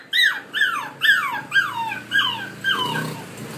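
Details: Collie puppies aged 50 and 63 days, filmed on 20 July 2013, give a run of six high whining whimpers, each sliding downward, repeated about every half second and fading toward the end, indoors.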